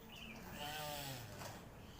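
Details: Male tortoise calling in the morning: a faint, drawn-out, harmonic groaning note lasting about a second, slightly wavering, over quiet background hiss.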